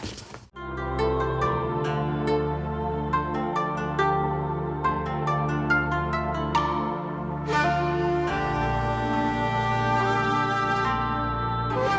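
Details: Gentle plucked harp-like music plays over a steady low drone, and a soft shimmering swell enters after about eight seconds.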